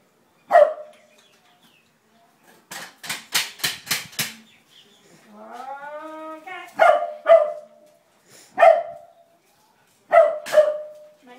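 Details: Siberian Husky reacting to a broom for the first time; single sharp barks spaced a few seconds apart, a drawn-out whining call in the middle, and a run of scraping or rustling sounds between.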